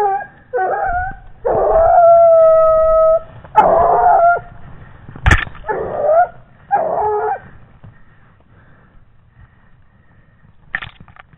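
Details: A 17-month-old Gascon Saintongeois hound trailing wild boar gives drawn-out, tonal howling bays, one held nearly two seconds, followed by shorter choppy bays and a sharp crack, then quiet with faint background rustle.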